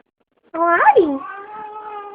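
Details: A female domestic cat that hates the other cats yells at another cat with a loud, harmonic yowl that swoops up and down, then settles into a steady drawn-out wail.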